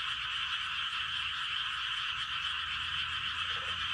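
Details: Night chorus of frogs in a Korean rice field at Gapyeong, recorded around 11:19 pm; countless overlapping croaks merge into a steady buzzing drone, with one brief lower note near the end.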